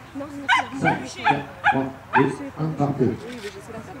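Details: Cavalier King Charles Spaniel barking during an agility run: a steady series of about seven loud, clipped barks roughly every half second, with human voices mixed in.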